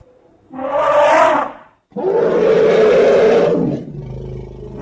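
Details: Elephant giving two loud, harsh roaring bursts. The first is about one second long and the second is longer and sustained. A brief silent break separates them, with a strong raspy mid-pitched tone and no other sounds.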